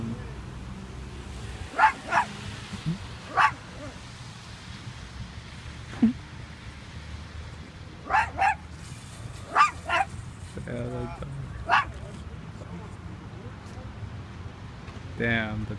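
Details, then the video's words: Dog locked in a car with the windows up in Pleasantville, New Jersey, recorded on an iPhone 5s; muffled sharp barks come in scattered bursts, some doubled, over low traffic rumble, and a man speaks briefly. "DOG locked in car with no windows down!"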